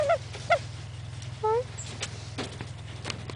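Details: English Angora rabbit doe, lilac, in season for the first time, squeaking: a few short high squeaks with bright harmonics near the start and a longer squeak at about one and a half seconds, over a steady low hum and a person asking questions.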